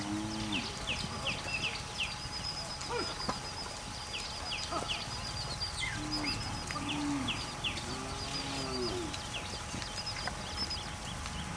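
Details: Cows grazing on their way to the forest in the mountains, giving short, low, harmonic moos near the start and twice more later. Small birds chirp in quick, repeated notes throughout, over a steady hum.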